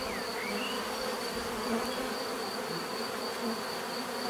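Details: Bees buzzing in natural surroundings: a dense, steady drone with stacked humming tones, a high continuous whine above, and a few faint bird chirps over the swarm.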